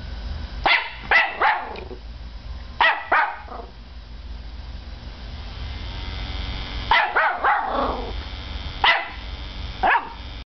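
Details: Five-month-old Norfolk Terrier puppy named Peanut reacting to a computer's CD drive starting up; clusters of two or three quick high barks separated by pauses, backed by constant low mechanical hum.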